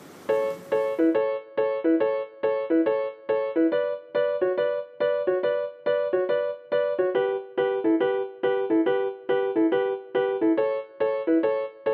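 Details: An electric piano plays a short chord pattern in a steady loop, with a brief hiss at the start.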